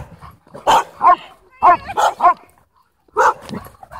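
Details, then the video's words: Dogs playing at a dog park give sharp barks in quick clusters of two and three, with brief quiet gaps between them. "Crazy Dog Park Play"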